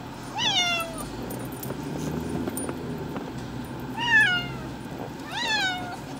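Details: Floki, a male pet cat taken to the vet for a nail trim and unhappy about it, gives three loud, drawn-out complaining meows, each rising then falling, spaced several seconds apart, with low vehicle rumble in between.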